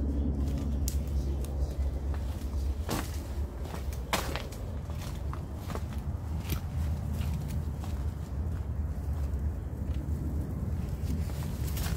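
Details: Outdoors in the countryside, a low engine-like rumble runs throughout, with scattered footsteps and clicks and no animal voice.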